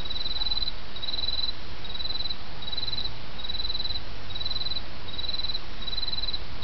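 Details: Autumn insects singing beside a murmuring stream: short, high, trilled chirp bursts repeat steadily, roughly one every 0.8 seconds, about eight in a row, over a constant rushing wash of flowing water.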